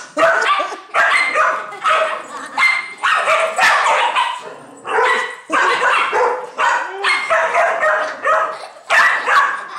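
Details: A female Dachshund barks in rapid, harsh bursts, several per second, angrily defending her nest from a neighbour's dog that wanted to play with her.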